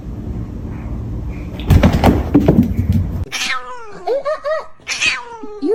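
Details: Domestic cat indoors: after a rustling, thumping scuffle, a run of clear, wavering meows follows, each bending up and down in pitch, several in quick succession.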